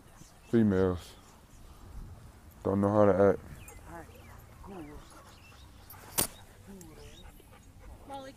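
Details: Dogs at a dog park as a German Shepherd attacks a pitbull or American Bully during play: two loud, harsh, harmonic barks near the start and again about two seconds later, with people talking and calling afterward.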